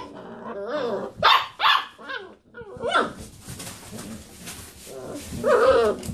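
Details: Basset Hound puppies playing round a computer chair give short barky roos and whining yelps, with loud bursts early and near the end and a human voice faintly in between.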